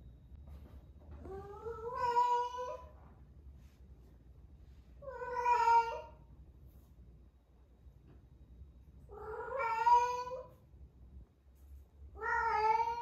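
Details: Female domestic cat, a rescue aged 11 months, yowling indoors at the peak of her first heat before spaying: four long rising, wavering harmonic cries spaced about three to four seconds apart.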